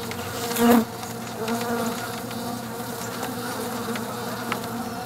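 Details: Honey bees crawling over comb scented with lemon grass oil inside a shipping box tried as a swarm trap; a steady low droning hum with one louder buzzing pass near the start.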